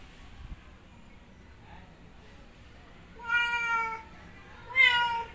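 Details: Male domestic cat in heat, calling to a female outside: two loud, drawn-out harmonic meows in the second half, each about half to three-quarters of a second, after a quiet start with faint background.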